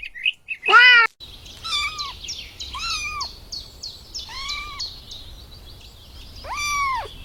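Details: Kittens chasing butterflies on grass: one short loud cry, then four arched, falling mews about a second apart, with faint high twittering chirps running behind them.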